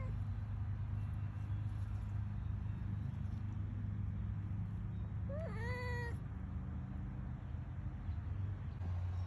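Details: Cat meowing: one drawn-out, rising then level meow of nearly a second with rich harmonics, standing out over steady low rumbling background noise.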